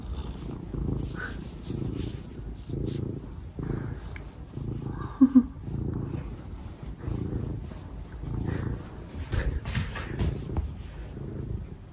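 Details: Domestic cats Omusubi and Ace wanting affection first thing in the morning. Low, even purring pulses roughly every half second to one second throughout, with a brief double chirp-like meow near the middle and faint rustling.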